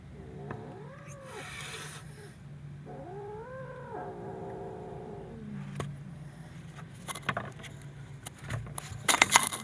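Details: Frightened kitten giving two drawn-out, arching yowls that rise and then fall, each about a second long, over a steady low hum, followed by scattered clicks and knocks near the end.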